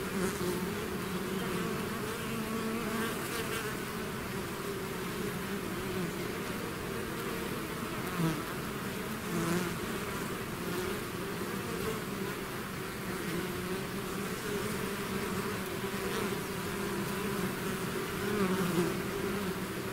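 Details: Bees swarming out of their hive make a thick, unbroken drone of many wingbeats, low and steady, with occasional louder individual bees passing close.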